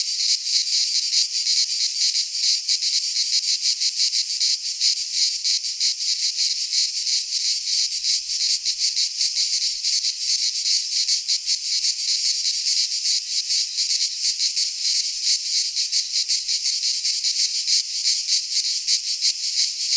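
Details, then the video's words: Cicadas of the Greek fauna singing in a pine forest in midsummer: a high, metallic, sizzling drone, rapidly pulsed and unbroken, forming a dense wall of insect sound. "Cicadas singing in midsummer - Nature sounds from the Greek fauna - Sounds of cicadas"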